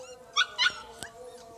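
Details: Siberian Husky puppies in Lahore, Pakistan: two short, high, bright yips in quick succession, followed by a single sharp click against a quiet background.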